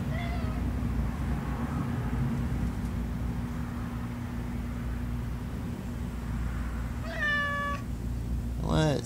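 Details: King Oscar, a domestic cat, on a long morning walk around his Cat Condos, where a couple of mockingbirds objected to him. Two harmonic meows sound near the end, the second sliding downward, over a steady low hum and brief speech.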